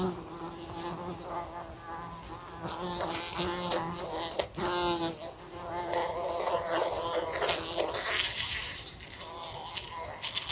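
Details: Indoors beside a lamp, a fly drones with a steady, pitch-wobbling buzz, broken by frequent short knocks as it hits the lamp. The hum swells louder and hissier toward the end.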